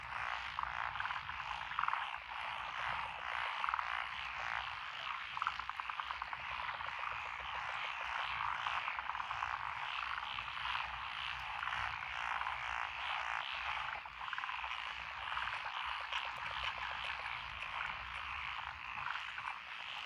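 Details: A chorus of many frogs calls from lotus paddy fields beside a rural road in Echizen, Fukui Prefecture, on 12 June 2021. Rapid rattling croaks overlap without pause, with a faint low rumble underneath.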